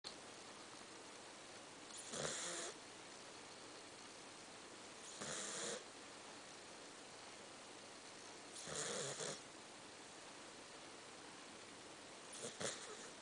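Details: A sleeping pet dog snores indoors, soft breathy bursts spaced about three to four seconds apart, four in all; quiet keyboard clicking continues in the background throughout.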